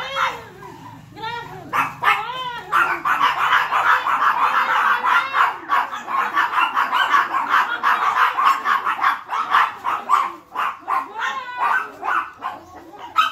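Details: Angry, brave Chihuahua barking at a bigger dog named Hansel: rapid, rough yapping barks pour out almost without pause, opening with a few higher whining tones before the dense, snarling volley builds.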